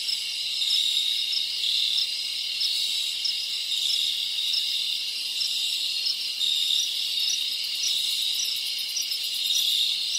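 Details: A chorus of many crickets fills the soundscape in the Dominican Republic rainforest: a constant high shrilling, sharp repeated chirps on top, and a brief buzzy rattle in the last seconds.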